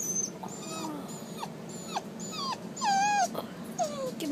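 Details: Dog giving high, whistle-like squeals, each a quick falling or wavering note, repeated about twice a second, a longer louder wail near the middle, over a low background hum.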